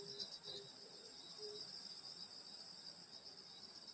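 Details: Countryside summer night insects at a grandmother's house in Korea: an even, high shimmering cricket chorus with a few scattered lower chirps early on, then only the steady trill.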